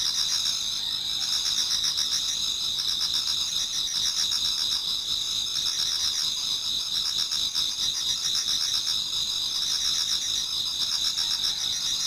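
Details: Many autumn insects singing together in a Japanese garden toward dawn: dense, continuous high shrill trilling bands, with a faster pulsing chirp repeating about four times per second beneath, no other clear sounds.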